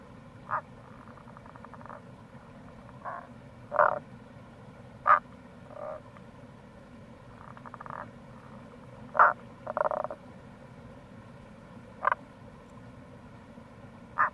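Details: Tago's brown frog heard in April near a gorge on the Kamo River, Fukuoka Prefecture, Japan. Roughly a dozen clipped, throaty croaks at irregular intervals, some louder and nearer, others softer and more distant, over a continuous low rumble of flowing water.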